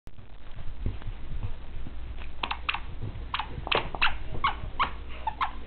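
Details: Two 4-month-old male dachshund puppies, Scotch and Whiskey, playing indoors while awaiting adoption; short bright yips and squeals cluster in the second half, coming in quick irregular bursts over a low room hum.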